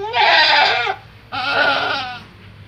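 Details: Kacang goat doe on a farm giving birth to a Boer kid in a meat-goat crossbreeding trial: two loud, quavering, nasal bleats, each under a second long, separated by a short gap.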